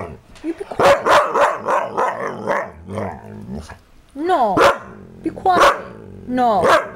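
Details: Pet dog barking in quick, sharp bursts, several loud barks in a row then a pause and more barks, while a woman's voice repeatedly tells it to be quiet and hush.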